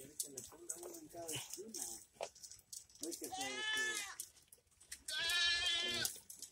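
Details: Goats on a ranch: a man talks at the start, then two long, quavering, harmonic bleats follow, the second one louder and held longer.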